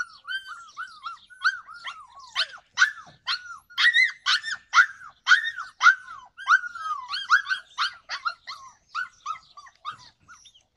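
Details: Yakutian Laika filmed in July 2020, opening with softer whining yelps that build into louder, sharper barks in the middle, then ease back to lighter arched yelps near the end.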